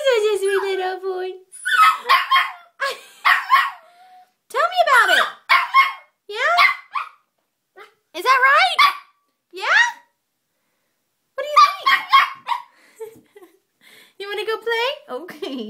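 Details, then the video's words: Very vocal puppy indoors, answering a person; rising and falling yodel-like howls and whines in bursts with short gaps, some sharp barky onsets, and a person talking softly before. "Vocal puppy"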